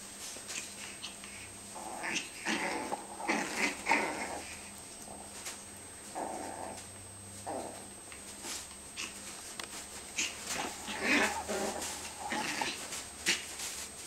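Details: A Yorkie puppy and a Tibetan Terrier puppy wrestle in their favourite game of biting in a bean bag. Repeated small growls and squeaky yips come in irregular bursts throughout, mixed with rustling of the bag.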